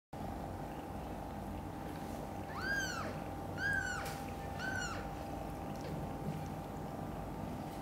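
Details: Domestic cat setting as mother cat Xaxa collects kittens Miracle and Cream from mother cat Chan's nest after hearing a kitten meow loudly; three short, high, arching meows in quick succession over a steady indoor hum.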